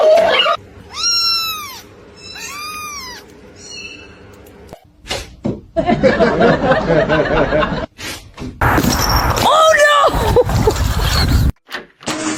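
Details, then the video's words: Kitten giving two arched, rising-then-falling meows in quick succession, clear and harmonic, followed by people talking, exclaiming and laughing indoors over background music. "kitten meowing cute"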